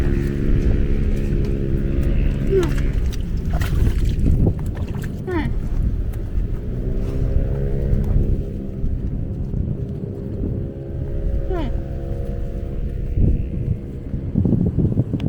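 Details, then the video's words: A water buffalo in Laos gives long, low, droning moans, each held for several seconds with short pauses between, before walking away. "The buffalo is making sounds and then walks away. In Laos."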